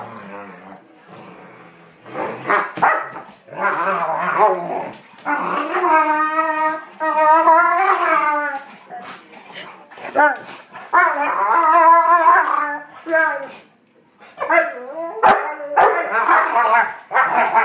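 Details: Pet dog making odd vocal sounds while playing with another dog: drawn-out, wavering whines and howl-like moans with rising and falling pitch, broken into bursts with short pauses, some yips between.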